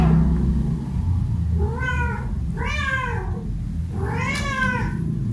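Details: Domestic cat and kitten at play among baskets, giving three clear harmonic meows spaced about a second apart, each rising then falling, over a low steady background hum.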